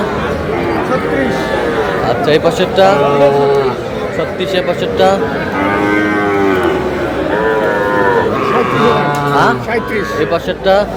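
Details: Cattle at a market on 21 July, where a farmer from Comilla buys very small young bulls and heifer calves: several drawn-out, arching moos rise and fall over about eleven seconds beneath steady crowd chatter and bargaining voices.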